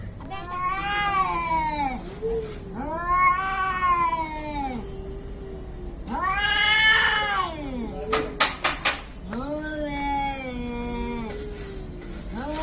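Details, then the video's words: Angry cats in a fight, tagged as an Indian cat fight, making long drawn-out yowls that swell and fall over one to two seconds each, strongly harmonic, with a burst of sharp clicks and knocks near the end. "CAT FIGHT ANGRY CATS - Making weird noise"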